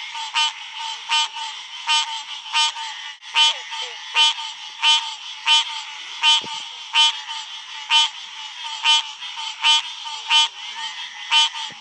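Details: A green tree frog on Wallops Island, Virginia, gives a nasal, honking call, repeated about once a second over a steady night chorus.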